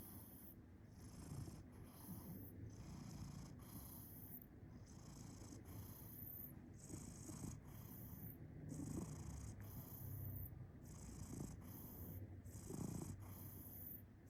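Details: Cat purring as it snores, a continuous low rumble with louder pulses every couple of seconds, broken by airy whooshes of breath throughout.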